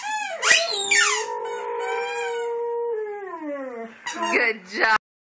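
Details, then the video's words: Boxer dog singing in response to a squeaky toy: a rising yelp opens into a long, steady, tonal howl held about two seconds, then sliding downward, with sharp squeaks of the toy before and after. "Singing Dog - Boxer"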